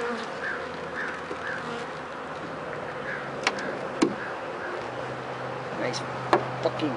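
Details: Bees humming around a hive, many dead and rain-soaked in front, checked for sickness after four wet days; continuous buzz with faint voice-like murmurs and a few sharp taps.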